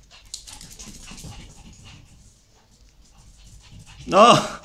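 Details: Shih Tzu indoors playing with a favourite toy; soft panting and rustling, then a single loud, sharp bark near the end, with a woman speaking Spanish.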